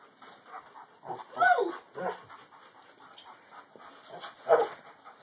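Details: Little Alaskan Malamute puppy standing up to his father: a few short, high yelping growls, with two louder bursts about three seconds apart and a steady background hum.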